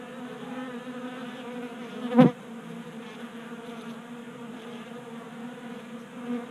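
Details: Honey bees drawn into a Colorado garage by a warm January spell, feeding from a 3D-printed tabletop tray. A smooth, low buzzing drone with one sharp tap early on, then steady humming.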